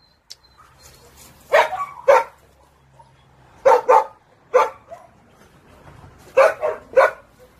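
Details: Dog giving irregular bursts of barks, some in quick pairs, separated by short quiet gaps with faint background hum.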